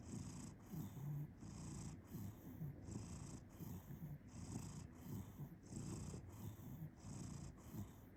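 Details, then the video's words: Sleeping cat purring as it snores, soft low vibrating rumble rising and falling with each breath in a regular rhythm, quiet background hiss. "Purr Snoring"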